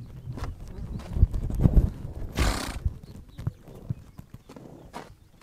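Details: On the Mongolian steppe, heavy, irregular hoof thuds and clops fill the air, broken midway by a single hissing, breathy horse snort. Softer stamping follows.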